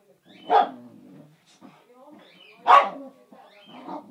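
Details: Boxer and Basenji dogs playing together indoors; two sharp, loud barks about two seconds apart, with softer rough vocal sounds and scuffling in between.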